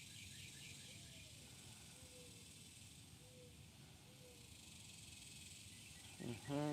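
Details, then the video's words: Cicadas keep up a steady, high, hissing drone on the shoreline of White Rock Lake in Dallas, Texas, on 26 June 2023, with a few soft low notes beneath; mourning doves and a cardinal nearby; a person speaks at the end. "The cicadas are out. Can you hear them buzzing?"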